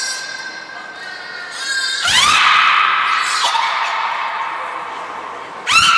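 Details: Captive belugas Hodoi, Gray and Mirai during a training session at Port of Nagoya Public Aquarium, Japan, 1 December 2019; steady harmonic whistle tones give way to loud rising squeals, echoing in a large indoor hall.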